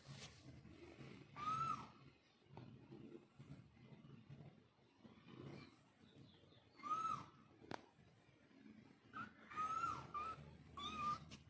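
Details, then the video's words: Cat mother calling her kittens: short, high meows, a single one early, another later, then a quick cluster of two or three near the end, above a low rumbling background. "Cat Moms Love Kitten ll Billi boli meow"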